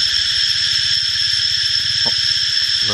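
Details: Cicada calling while spraying liquid like rain: a loud, unbroken, high buzzing drone that holds steady throughout, with a man's voice murmuring faintly underneath.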